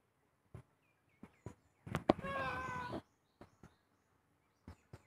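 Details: House cat uttering one short, tonal meow lasting under a second, its bright harmonics holding steady, set among scattered sharp taps and clicks in an otherwise quiet room.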